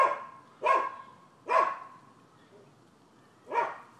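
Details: Nuisance barking from dogs on a neighboring Florida property, 7 December 2015: three sharp barks about a second apart, a two-second pause, then one final bark.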